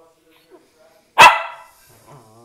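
A Lakeland terrier gives a single sharp, loud bark that fades quickly.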